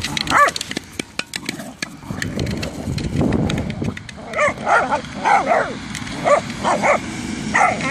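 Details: Two whippets, Jack and Ray, playing football, giving a run of short harmonic barks and yips from about four seconds on, after early clicking taps and a rumbling scuffle.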